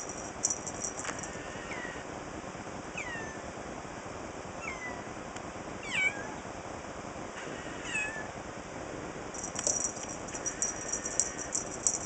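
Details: Young male kitten, newly brought home, playing with a feather toy indoors on 13 July 2011, giving about six thin, high, short mews that bend downward, spaced one to two seconds apart, over a steady background hiss.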